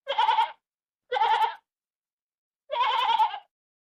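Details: Sheep on a sheep farm giving three short, rough, buzzy bleats, each about half a second to under a second long, separated by pauses of silence.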